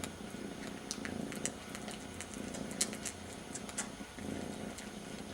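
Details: Young kitten purring as it licks its brother's ear, using him as a substitute for its missing mother; continuous low vibrating rumble with pulsing texture, overlaid by crisp repeated licking and smacking clicks.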